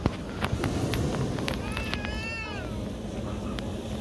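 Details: A wild otter at the Lagoa do Violão lagoon gives a single high, whining, meow-like squeal that wavers and then falls away, apparently waiting for fish to come, which it eats.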